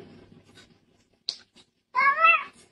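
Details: Domestic cat 'talking': after near silence with a few faint clicks, a single short meow with a rich stack of harmonics, slightly wavering, lasting about half a second near the end.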